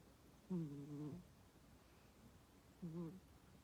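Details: Sleeping cat snoring indoors: two low, buzzy breaths with a droning harmonic tone, the first about 0.7 seconds long and the second shorter, separated by a quiet pause.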